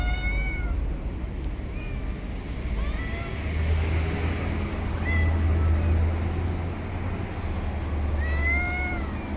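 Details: Stray cat in a park or street giving four short, fairly faint meows, each a brief bent note, scattered across the stretch against a constant low hum of background noise.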